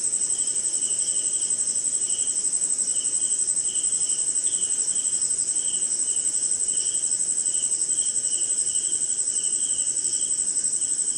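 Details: Crickets calling on a rainy night in jungle and swamp somewhere in India: a continuous shrill high whine with a lower, pulsing trill that swells and fades in regular bursts throughout, over faint steady background noise.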